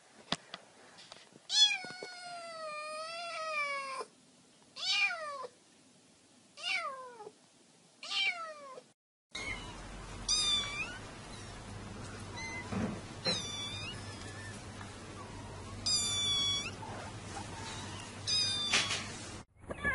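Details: Kitten meowing cutely, giving about a dozen high, drawn-out meows that rise and then fall, in short bursts with pauses. The first half is quiet; the second half has steady hiss and a low hum behind the calls.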